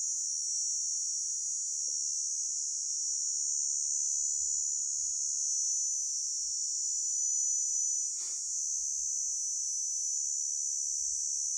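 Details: Grasshopper call as a constant, bright, high-pitched whirring drone lasting the entire recording, interrupted only by one short click near the end.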